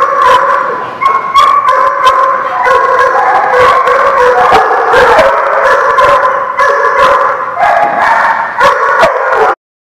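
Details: Crowd of dogs recorded on 21 October 2016, loud and continuous: rapid overlapping barks, yips and drawn-out howls blend into one wall of sound that cuts off abruptly near the end.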